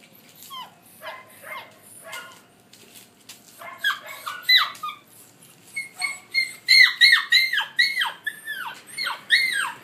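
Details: Fifty- and sixty-three-day-old collie pups, recorded 20 July 2013, with sparse yips that build into rapid, high, downward-sliding whines and squeals in quick succession, loud and close in a quiet room.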